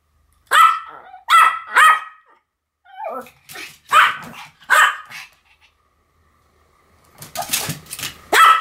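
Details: Pomeranians Sam and Marin duet-barking indoors: three sharp high barks in quick succession, a pause, softer barks, then more strong barks, with a noisy scuffling burst before the last loud bark.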